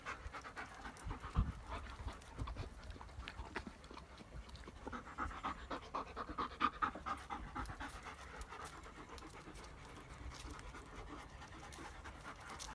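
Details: German Shepherds out in nature near Sari, Iran, captured with an iPhone 11 Pro Max; steady, rhythmic panting breaths repeated several times a second, with scuffing and rustling underneath.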